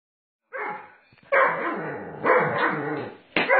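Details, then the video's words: Doberman Pinscher named Sage, growling during rough play-fighting with its owner; a short rough burst, then long harsh rasping growls rising and falling in intensity, ending with a sudden snarling burst. "Fighting With My Doberman Pinscher A Little Rough"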